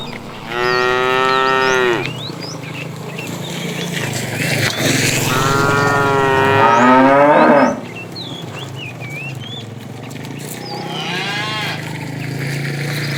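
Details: A tame cow roaming the road looking for food moos several times, long, deep and droning, with small birds chirping behind.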